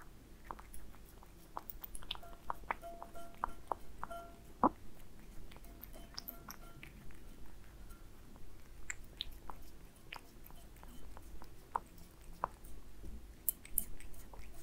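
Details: Cat Aliska working through Friskies wet food with beef indoors, with scattered sticky chewing clicks and lip smacks, a brief tonal chime early on, and low background hum throughout.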